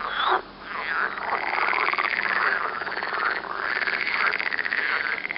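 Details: Green frogs croaking near Turku, Finland: a dense, continuous chorus of rapid, rattling pulsed croaks that overlap one another throughout, with brief louder surges near the start and again mid-way.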